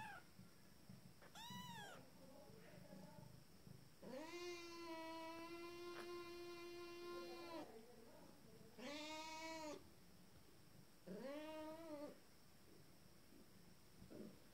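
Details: Fourteen-day-old Abyssinian kittens from a first litter, starting to walk: loud, drawn-out, rich meows, one lasting over three seconds, then shorter rising-and-falling mews, with a faint steady hum behind.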